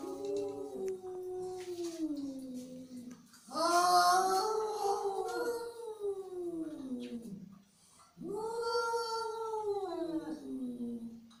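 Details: Angry cat drawing out three long, mournful yowls, each swelling then falling away, with breathy noise over the louder middle cry.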